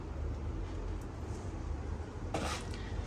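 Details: Low indoor hum with a brief clatter of household objects near the end, and no animal voices.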